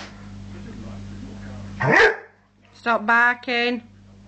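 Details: Male Rhodesian Ridgeback indoors, worked up over his new squeaky ball: one sharp rising squeal, a brief pause, then three short harmonic barks close together, over a steady low electrical hum.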